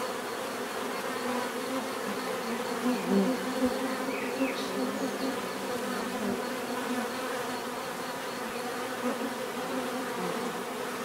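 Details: Many bees buzzing together in a steady, dense drone with layered hum bands, a few brief louder passes of single bees near three seconds and faint higher tones above.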